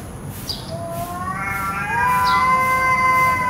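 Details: Drawn-out cat meow, a harmonic-rich tone that starts low and steps upward, then holds steady and flat for over a second, over a constant low background hum.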